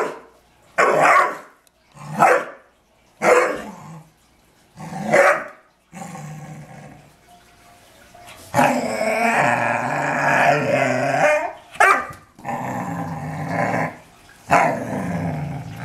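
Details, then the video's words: Dobermann in a house, angry at deer in the back yard: four loud gruff barks spaced about a second apart, then a long rumbling growl-bark lasting several seconds, followed by further harsh barks. "Archer aggravated by the deer in the yard."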